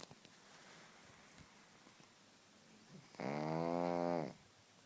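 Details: Pug snoring: after three seconds of quiet, a single rough, buzzing snore lasting about a second, with a steady low hum and a fast fluttering rattle.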